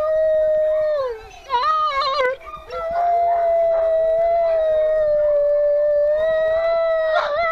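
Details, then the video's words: Howling of a female wolf kept at the W.O.L.F. Sanctuary: a steady, drawn-out tone held for seconds, interrupted early by quick warbling yips and a second wavering voice, then a long level howl to the end. "Howling wolf"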